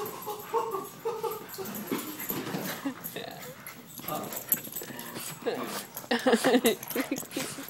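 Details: Excited puppies brought in at 1:00 in the morning give high whimpering whines and short yips, rising and falling in quick bursts, mixed with a person talking over them and scuffling movement.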